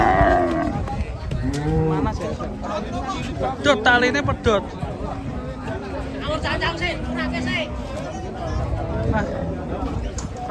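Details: Agitated cow that leapt down from a truck and broke its leg, lowing with low, drawn-out moos near the start and again toward the end, over a crowd of people talking and background music.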